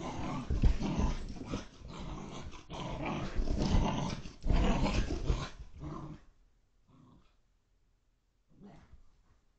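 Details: Portuguese water dog puppy, five months old, growling and grumbling when super happy and excited during indoor zoomies in a Connecticut home, February 2021, security-camera recording. Dense, gravelly growls run for six seconds, then near silence with one faint short grumble.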